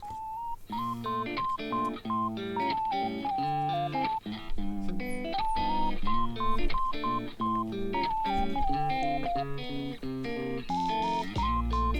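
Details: A plucked guitar plays a bright melody with a steady rhythm indoors; no animal voice is heard.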